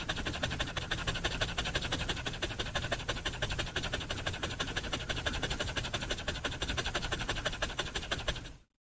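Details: Dog panting fast, rapid breathy rhythmic pants about three each second, steady and unbroken until the sound cuts off abruptly near the end.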